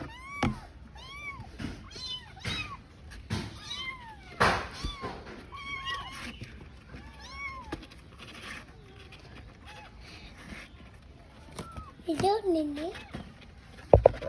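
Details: A lone kitten calls for its missing mother with a run of thin, arching meows roughly once a second, then lower, wavering cries near the end, while faint voices and handling noises sit in the background.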